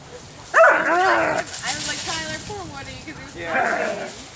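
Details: Skywalker and Woody, two dogs playing and wrestling in autumn leaves in southwest Michigan on a warm day; a sharp yelp, then a run of short downward-sliding whiny yips, with a human voice in the background.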